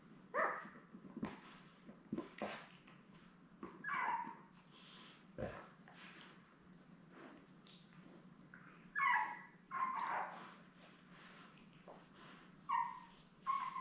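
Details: Newborn Labrador Retriever puppies with their mother Belle, seven pups born May 24, 2021: scattered short whimpers and squeals separated by pauses, with thumps and rustling of bedding between them.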